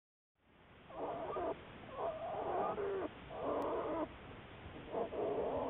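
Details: Black bear Juliet, a research bear studied by the Wildlife Research Institute, recorded March 1, 2014; four buzzy, harmonic bursts in the mid range, each about a second long, with a steady background hiss.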